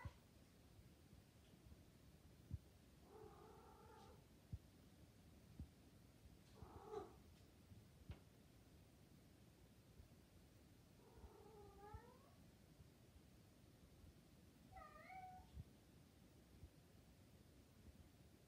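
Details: Maine Coon cat in heat coos four times over a longer stretch: short, wavering, tonal calls with a bending, rising inflection, widely spaced by silence, with faint low room noise throughout.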